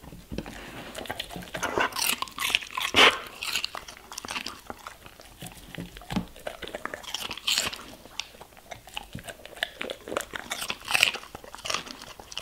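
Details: German Shepherd eating vegetables and fruits indoors: loud, crisp crunches and wet bites come in irregular bursts, with sharper snaps near the third, seventh and eleventh seconds over a quiet room.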